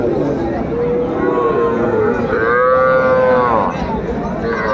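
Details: Young cattle, small bull and heifer calves, at a cattle market in Kurigram, Bangladesh, on 17 July 2024: a long drawn-out moo that holds steady, then swells and falls away, over busy crowd chatter and bargaining voices.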